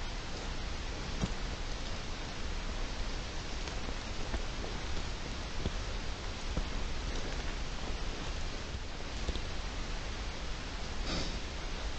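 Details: Steady broadband rustling like rain or wind, with no animal voice standing out. A few faint clicks and taps occur, but no clear call is heard.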